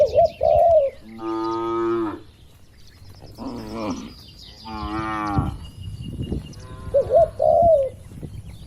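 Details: Dozens of cows resting and moving around inside a large farm barn; several long, deep, strongly harmonic moos, some overlapping, with brief warbling bird chirps at the start and near the end.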